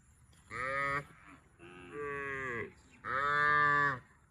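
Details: Cow mooing three times in close succession, each call about half a second to a second long, harmonic and nasal, the last one loudest, with short quiet gaps between them.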